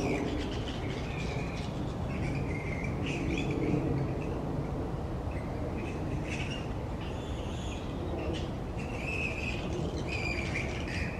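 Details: Grey-headed flying foxes, a big noisy colony roosting upside down in trees, keep up continuous scratchy chattering squeals and rasping screeches across the whole stretch, set against constant low-pitched background rumble.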